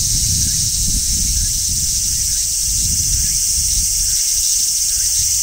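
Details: Large brown cicada shrilling from a tree in midsummer among other singing cicadas; a constant harsh, high-pitched buzz without pauses, over soft low rustling noise.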